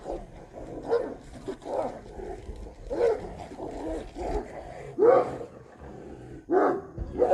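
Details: Street dogs squabbling over a female produce continuous rough snarls and growls with a few louder, rising yelping snarls toward the end, over low background noise.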